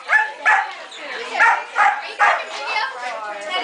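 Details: Puppies playing together in Jupiter, one slamming into another and then sniffing it; short yappy barks and yips come in quick bursts about every half second, mixed with a person's voice.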